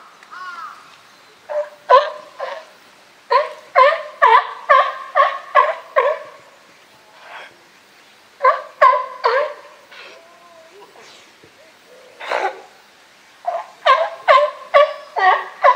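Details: California sea lion group at Higashiyama Zoo and Botanical Garden, Japan, 12 September 2023, with lively boss Felix; loud harsh barks in rapid bursts of four to eight, pausing between series, with a few softer honks.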